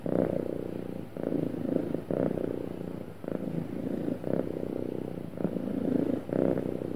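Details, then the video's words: Happy cat in a relaxed, smooth purr: continuous throaty rumble pulsing with inhalations and exhalations about once per second, brief soft gaps between breaths, no other noises. "Happy Cat Purring Smoothly"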